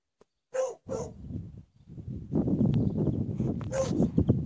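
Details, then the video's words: Dogs at Rimutaka Prison: two sharp, short barks in quick succession, then a dense, noisy stretch of overlapping sounds and possible voices. "Dogs barking at Rimutaka Prison"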